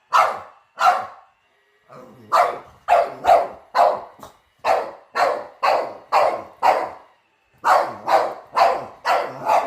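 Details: Household dog confronting a robot vacuum it is seeing for the first time, giving a rapid run of loud barks about two per second, broken by a short lull after the opening pair.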